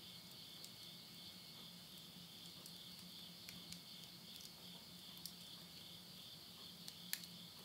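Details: Insects calling at midnight in the countryside of Yurihama, Tottori, Japan, at summer's end in September 2020. A steady, high, shimmering drone holds throughout, broken by sharp snaps of burning wood crackling in a stove and a faint low hum.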